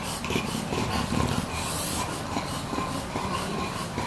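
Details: Two young English Bulldogs, aged about 1 year 5 months and 1 year 2 months, snort and breathe noisily in rough, irregular rasping bursts, recorded 20 November 2015.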